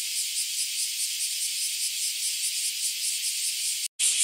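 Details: A dense chorus of bear cicadas near a home in Japan on a hot day: a loud, high, hissing buzz that pulses rapidly without a break.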